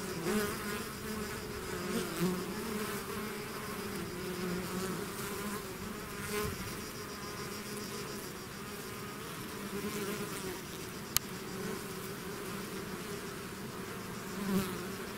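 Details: Swarming bees leaving their hive produce a thick, unbroken droning buzz, low humming tones wavering as individual insects pass close, with a single sharp click partway through.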